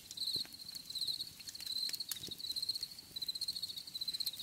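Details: Crickets trilling in a natural outdoor setting: a steady high-pitched band of rapid pulsed chirps, grouped into short bursts with brief pauses, faint clicks and taps scattered underneath.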